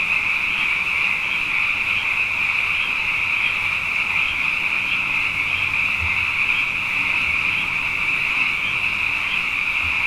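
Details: Night chorus of many frogs, plentiful after two consecutive wet years: an unbroken, high buzzing wall of overlapping calls with slight pulsing swells, plus a couple of faint low thumps in the background.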